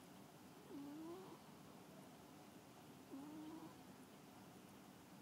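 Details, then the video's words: A pet cat snoring while asleep: two soft, low, slightly rising snores with a faint tonal hum, spaced about 2.4 seconds apart, over a quiet steady hiss. "Snoring Cat"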